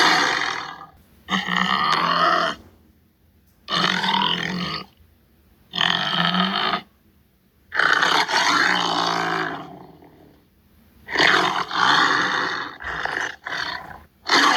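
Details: Repeated harsh grunting growls from a tiger, seven rough bursts of roughly one second each separated by brief silences, raspy and broad-toned with a faint low banded rumble under some bursts.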